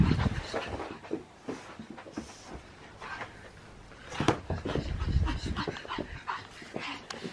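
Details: Pug puppy playing on an old mattress cover used as a play mat indoors, panting in quick, irregular breathy bursts with soft snuffles and a few sharp clicks, in a small room.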